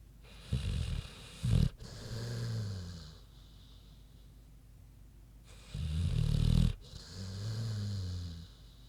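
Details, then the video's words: Queenie, a big pig, sleeping and snoring: deep, rumbling low snores with a rough inhale, two breath cycles about five seconds apart, each a gritty snort followed by a softer, wavering exhale. "Big Pig Snoozin' (HD Queenie Snoring Audio)"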